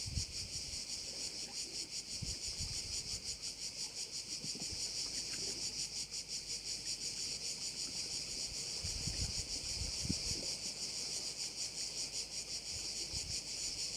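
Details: Many crickets at a bay in Korčula produce a steady, piercing, high-pitched trill, throbbing in quick regular pulses throughout, with soft low wind buffeting underneath.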